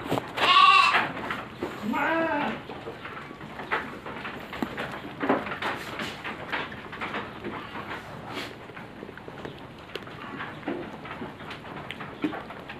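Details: Farm goats kept for harvest in five days: two loud, wavering bleats near the start, then quieter shuffling, rustling and faint voices in the pen.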